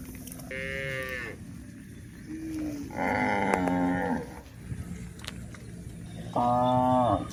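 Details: Cows on the move across a hill utter three harmonic moos a couple of seconds apart, the middle one longest and loudest, with a faint low call between.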